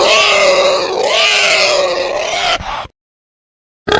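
A male wild boar gives a long, harsh, squealing grunt that wavers in pitch before cutting off.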